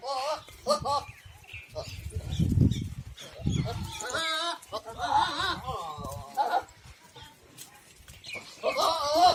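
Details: Goats at a goat farm in Ajmer, Rajasthan, India: quavering, wavering bleats come in bursts midway and again at the end, with low thumping handling noises and human voices in between.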